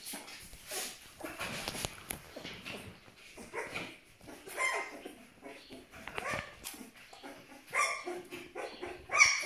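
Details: Aksaray Malaklı pup, 12 days old, whimpering in thin, high, drawn-out squeals spaced irregularly, among rustling and knocking sounds of handling.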